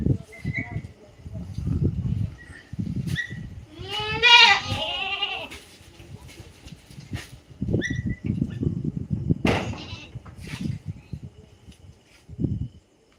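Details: Native country goat giving one loud wavering bleat with a trembling, nasal tone, amid low background rumble and scattered human chatter.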